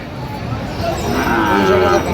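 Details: Sahiwal bull calves, being bought for a farmer from Chattogram, low drawn-out moo rising in the second half over crowd murmur and market bustle.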